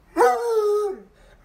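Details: A pet dog named Athena protests after being made to get off the bed: one drawn-out, whining howl lasting under a second. It holds a steady pitch, then slides down and fades. A person then asks her to get down.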